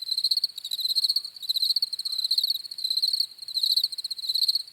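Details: Relaxing cricket chirps: shrill pulsed trills grouped into bursts about every second, steady high pitch with faint upper harmonics, nothing else audible.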